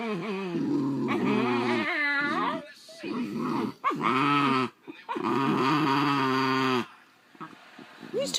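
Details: An older, grumpy Basenji growls in long, wavering, moaning bursts during a tense standoff as a younger Basenji tries to claim its toy indoors.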